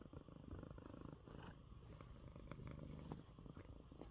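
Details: Pet cat Coco, a male, purring contentedly in his bed after eating well during an illness; dense, even low rumbling purr with light clicks.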